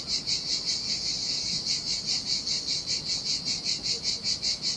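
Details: Cicadas singing in summer heat beside the Sardinia sea at a desolate beach: a shrill, buzzy drone pulsing steadily about two and a half times per second, with soft surf underneath.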